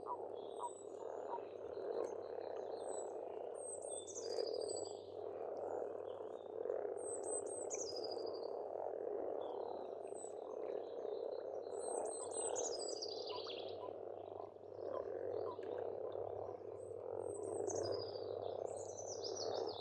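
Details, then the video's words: Frogs in spring at a pond on an Estonian farmstead, a dense steady croaking chorus running throughout, with high whistled and trilled songs of several birds repeating above it. "Расслабляющее пение птиц и лягушек"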